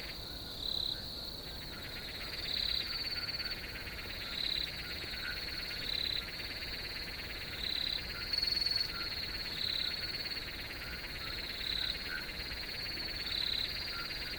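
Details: Crickets giving short, high, bright chirps about every two seconds, roughly eight in all, over a dense, steady, finely pulsing high-pitched insect chorus that never stops.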